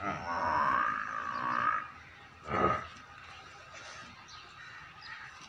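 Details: A young female buffalo at Rana Dairy Farm in Rajanpur, up for sale, bellows a drawn-out harmonic moo lasting nearly two seconds, then a short, rougher grunt-like burst, over a steady hum.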